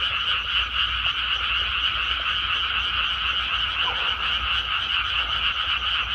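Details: Dense frog chorus from a freshly planted rice paddy: countless overlapping quick croaks merge into a constant buzzing trill, steady in loudness throughout, with a light low-pitched rumble beneath.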